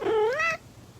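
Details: Kitten meowing: one short rising meow, clear and harmonic, gliding upward and ending abruptly after about half a second, in a quiet room.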